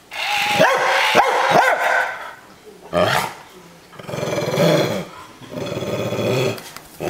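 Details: Pet dog Mia playing against a Buzz Lightyear toy gives three quick high barks, then after a pause a long throaty growl in two surges, with human speech and the toy's voice around it.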